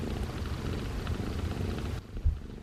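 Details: Week-old foster kittens, part of a litter of seven with their mother, purring, a soft, steady low rumble that fades out near the end; one male kitten seemingly milk drunk.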